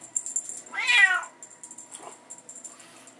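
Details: Bengal kittens playing with their mother and a teaser toy in a hallway give a single rising-falling meow lasting about half a second, followed by faint softer sounds and light indoor background noise.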